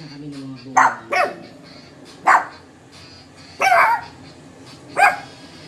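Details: A Shih Tzu mother and her puppies bark together in quick, irregular bursts, her deeper barks mixed with the puppies' higher, thinner yaps, singly or in close pairs with quiet gaps between.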